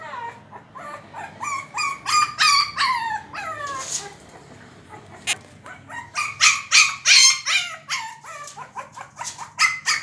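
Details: A Shih Tzu puppy fighting with a door to get it open gives rapid, high-pitched yappy barks that slide downward in pitch.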